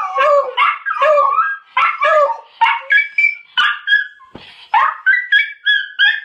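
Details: A miniature schnauzer and a beagle howl together in wavering, yodelling bursts that rise and fall, after hearing a video of the schnauzer barking.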